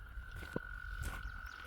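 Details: Gray tree frog calling in spring near a flooded culvert after a rainy season: a steady, unbroken high tone sustained through the whole stretch, over a low rumble of rushing floodwater.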